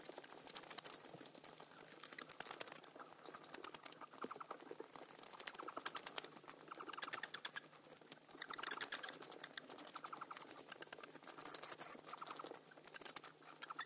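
Bats chittering in rapid bursts of high, thin clicks and squeaks, each lasting about a second.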